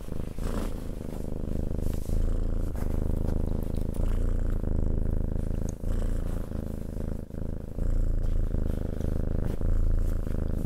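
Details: Cat purring at close range, a dense low rumble that continues throughout with slight dips and brief soft clicks or rustles between breaths.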